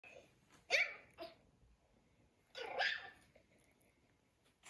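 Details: Female Maltese puppy playing with an iPad indoors gives two short, sharp, high barks about two seconds apart, with a softer yip between them, then quiet breathing-like rustles.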